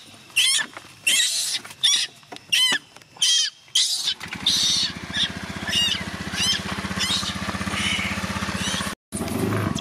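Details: Young chimpanzee Gina crying as her carer prepares to go home, pleading for her to stay: a run of loud, arched, wailing cries over the first four seconds, then a steady low engine-like hum with fainter whimpers.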